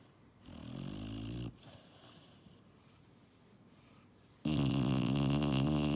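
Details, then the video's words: Puppy asleep, letting out a droning, rattling snore, then a quiet breath, then a second, louder and harsher snore that fills the room. "Snoring Puppy"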